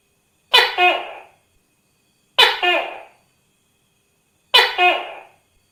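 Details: Tokay gecko giving three harsh, barking two-syllable calls about two seconds apart. Each has an abrupt first note and a drawn-out second note that fades quickly, with no other sounds in the background.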